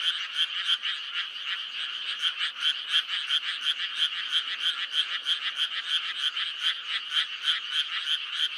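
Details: Frogs in May call in a steady, dense chorus of rapid, rattling, high-pitched pulses.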